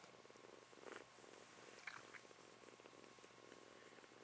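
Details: A pet kitten, a female kept indoors, purring softly: a low, steady rumble pulsing in regular breaths about twice a second, with faint room noise and a brief clicking sound partway through.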